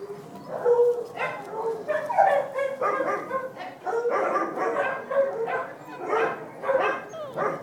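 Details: Dachshund puppies with their mother, August 5th 2011: a dense run of high whimpers and yips that overlap almost continuously, some notes held and wavering, with a few squeaky rising tones.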